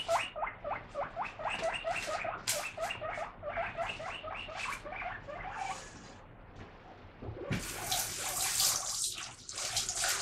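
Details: Pet guinea pig clamouring for lettuce being washed: regular run of short squeaks for about six seconds, then rushing tap water takes over.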